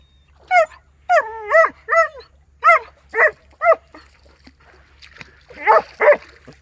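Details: German Shepherd in a village, giving a run of short harmonic barks and yelps, about eight bursts in under four seconds, then two louder barks near the end; faint music before and after.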